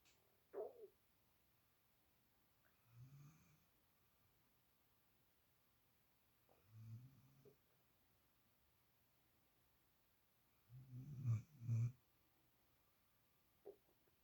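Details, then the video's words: Low, rough snores from a sleeping female puppy lying in another dog's usual spot, coming in uneven bursts several seconds apart, the last one louder and doubled, with a faint click between. "Snoring Puppy"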